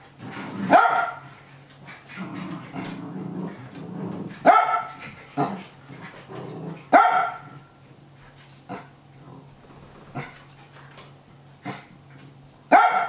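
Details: Excited barking from Nana, a Japanese Spitz egging on the young dogs Ruru and Milmel during their play-fight. Sharp single barks repeat irregularly, some loud and some softer, and low growly scuffling fills the early seconds over a steady hum.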